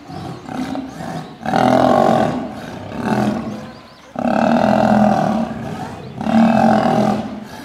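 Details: Male lion under attack from female lions, giving loud, harsh, rumbling roars and snarls in three long bursts of about a second each, with short quieter gaps and breathy growls between.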